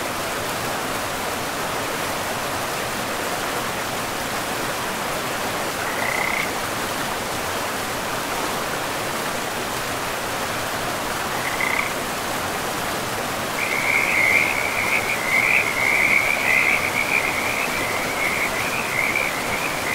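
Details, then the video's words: Frogs by a river in a pristine forest: steady rushing water fills the background, with short high trills at about six and eleven seconds, then a continuous buzzy, pulsing trill chorus over the last six seconds. "River and Frogs sleep sounds"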